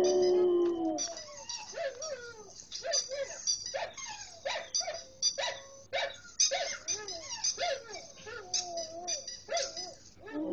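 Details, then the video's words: Curlin, a Samoyed, vocalizing at another Samoyed: a howl tails off into a rapid string of short yelps, whines and bark-like yips, uneven and chattering. "Curlin Howling at another Samoyed"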